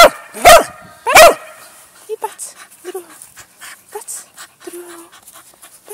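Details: Pet dog barking while being given training commands in Czech: two loud, sharp barks about half a second apart open the recording, followed by soft whimpers, faint movement and quiet speech.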